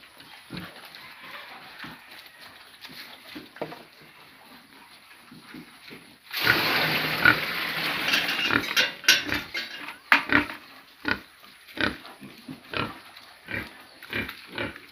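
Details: Farm pigs grunting softly, then a loud, harsh, sustained squeal breaking out for about three seconds, followed by a rapid run of choppy grunts and snorts that gradually spread apart.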